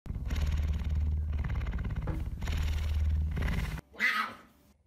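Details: Messi, a pet puma, at home early in the morning, waking its owner around 5 a.m.; two long bouts of deep, rumbling, rhythmic purring, followed by a short higher-pitched call at the end.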